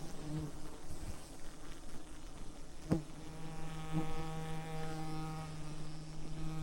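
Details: A swarm of wild rainforest bees at a giant honeycomb hanging from a massive tree branch, smoked by honey hunters; a low continuous hum that swells into a bright, multi-toned buzz as bees fly close, with a couple of sharp taps.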